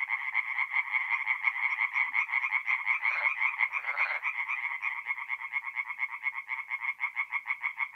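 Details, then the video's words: Singing tree frogs at a forest pond by night, north-east Italy, mid-April; fast pulsed croaking in quick regular trains, with a louder, rougher burst from a nearer caller around the middle. "relaxing forest pond by night with singing tree frogs"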